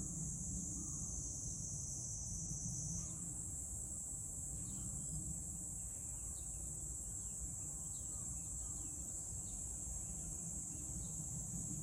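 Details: Cicada calling in Meguro, Tokyo, Japan, on 27 June 2023: an unbroken, shrill, high buzzing drone that shifts slightly upward after three seconds and then holds steady, with a low rumbling background throughout.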